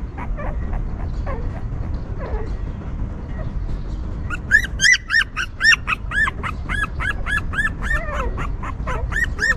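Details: Newborn puppies of a stray mother dog whimper as she cares for them; a few faint cries at first, then a fast run of high, arched squeals with rising-falling pitch, several per second, over low background rumble.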